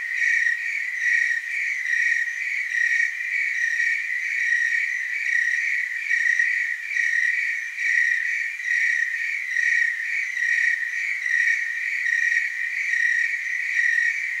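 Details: Chorus of tree crickets recorded in Oregon's Willamette Valley, a continuous high ringing trill with faint upper harmonics, swelling and fading slightly roughly every second throughout.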